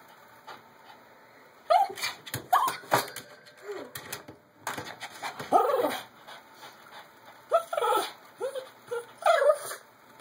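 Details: Small dog Jake, puzzled by a new robo hamster he has never seen, lets out repeated thin rising-and-falling whines in bursts, some in quick pairs, over light clicking and scuffling from the hamster's ball.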